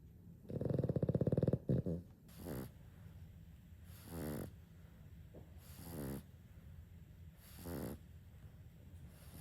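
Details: Two Boston Terriers snoring at home as if competing: a loud rattling snore followed by softer, rhythmic breathing snorts.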